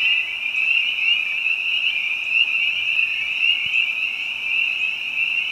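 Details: Behind a house in spring, spring peepers chorus alongside other frogs, a thick wall of shrill high peeps pulsing slightly in loudness, with a few brief higher chirps.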